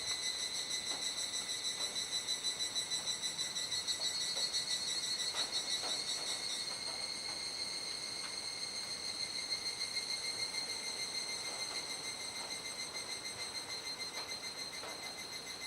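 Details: Dusk chorus of cicadas, unseen, in Kuji, Iwate Prefecture, Japan, on a July 2017 evening in the rainy season. A dense, ringing high-pitched buzz throbs rapidly and evenly, thinning slightly partway through, with soft ticks in the background.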